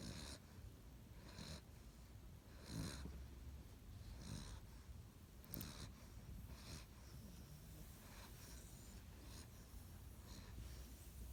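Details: A 7-week-old Great Dane puppy snores, with soft, rasping breaths repeating about every second and a half.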